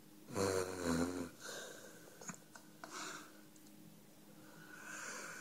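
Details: Dog named Five asleep and dreaming indoors, snoring: a loud wheezy, nasal snore with a low buzzing base lasting about a second, then softer breathy rasps and quiet snuffles in a small, quiet room.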